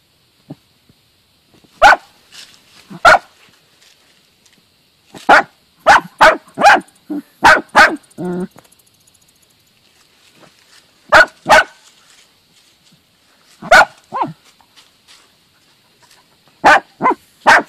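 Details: A dachshund hunting moles in a garden barks in sharp, loud bursts, singly and in quick runs of three or four.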